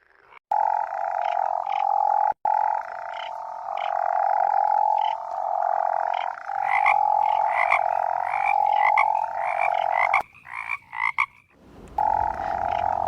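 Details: Toad croaking: long, steady, humming tonal notes of about a second each, repeated with short gaps, with a brief break and then a louder restart near the end.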